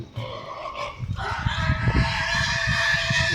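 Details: In Gadag District, Karnataka, a pig squeals in distress, a harsh, strained cry over scuffling thumps, while being attacked by a Rottweiler.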